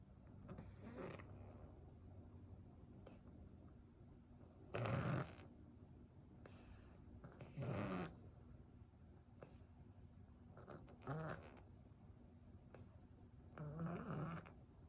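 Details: Domestic cat with cat flu and a blocked nose, breathing as if snoring; five rough, raspy breath bursts with a low rumbling base, spaced about every three seconds, with quiet hiss between them.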